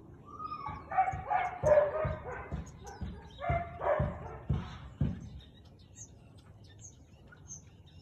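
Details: Barking Siberian Husky recorded at 4:17 pm on 13 March 2021, giving a burst of tonal, yodel-like barks in the first five seconds, each over a low thump, then quieter with faint high chirps.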